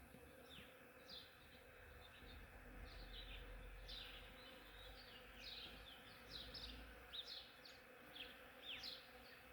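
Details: Hundreds of honeybees foraging on a blooming ornamental cherry tree in the morning make a loud, continuous low drone, with bright, quick chirps from small birds breaking in above the hum.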